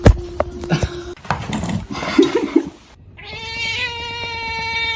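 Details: Kitten meowing in a funny-cats compilation: a scuffle of thumps and rustling, then a drawn-out, steady, tonal meow lasting about two seconds.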